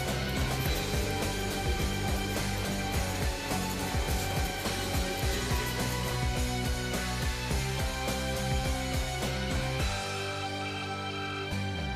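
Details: Steady instrumental music with a strong low beat and dense layered tones fills the whole stretch, thinning slightly near the end, with no animal voice.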